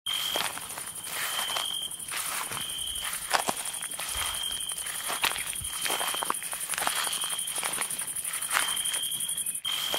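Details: Crickets at night in the woods: a high, steady trilling tone that starts and stops in stretches of a second or more, with crunching footsteps of someone walking throughout.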